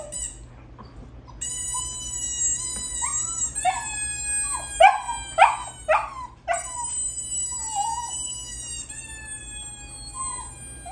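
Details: Bulldog puppies reacting to squeaky sounds give long, high, steady whining howls with a few sharp yelps and whimpers clustered in the middle, the drawn-out whines resuming afterwards.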